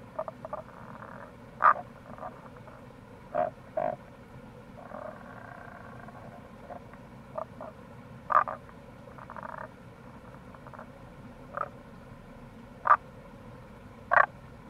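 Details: April recording of wild Tago's brown frogs at the Kamo River gorge, Itoshima, Fukuoka, Japan: scattered short knocking croaks, sometimes paired, and occasional soft pulsed grunts spaced a few seconds apart, over continuous rushing water.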